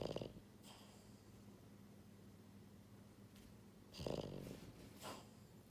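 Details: Buhiko, a pied female French Bulldog born January 2022, snores while asleep indoors; a short rasping snore opens, then steady low hum, and a second, longer rough snore with a softer follow-up near the end.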